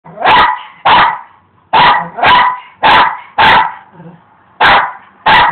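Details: Rosco, a pet dog, barking while attacking rocks in a yard during yard work; eight loud, harsh barks in uneven pairs across five seconds, with a person urging him on afterward.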